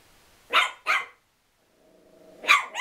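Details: Chihuahua angrily barking at a towel: two sharp, high yapping barks, a short low rumbling growl, then another sharp bark.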